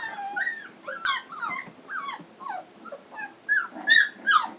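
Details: Three-week-old Standard Poodle puppies of a 2012 litter in Lodge Grass, Montana, whining in quick succession, each cry a short falling squeal, rising to louder, higher squeals near the end.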